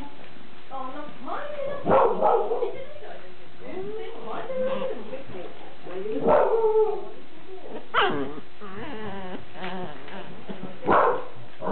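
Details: Cardigan Welsh Corgi puppy, recorded 5 April 2007, giving short harmonic yelps and whimpers in bursts roughly every two to three seconds, mixed with human voices talking close by indoors.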